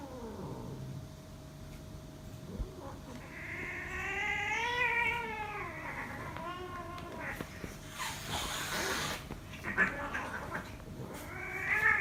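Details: Domestic cats fighting, one making strange sounds: a long wavering yowl rising and falling in pitch for several seconds, followed by hissing, scuffling bursts and a final short screech.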